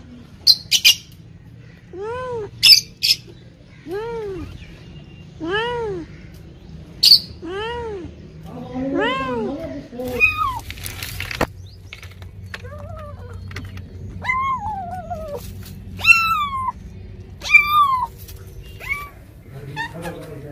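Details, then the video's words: Cats and kittens meowing: a steady series of about eight arched, mid-pitched meows over the first ten seconds, each rising then falling, followed by higher, thinner and more drawn-out mews. Background stays quiet. "Funny Cats and Kittens Meowing Compilation || Cat sounds"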